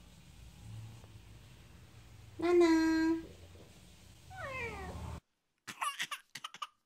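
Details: Female pet cat indoors answers her owner's question about being hungry with a drawn-out, falling meow. A flat, steady voiced tone comes before it, and short clicks and rustles follow after a sudden cut.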